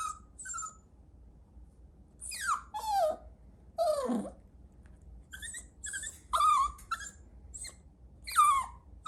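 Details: Chihuahua puppy giving a series of whines and whimpers, some dropping steeply from high to low pitch, others short rising-falling squeaks, coming in bursts every second or so.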